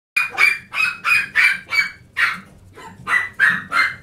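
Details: Very lively Chihuahua letting out a fast run of high, sharp yapping barks, about ten in four seconds with one short pause midway.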